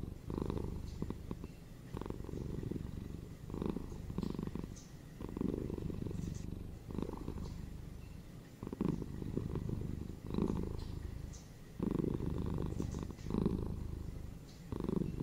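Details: Pet cats purring indoors, presented as soothing background for relaxation and sleep: a continuous low rumble pulsing in regular breath cycles about every 1.5 seconds over fifteen seconds, with soft gaps between each phrase.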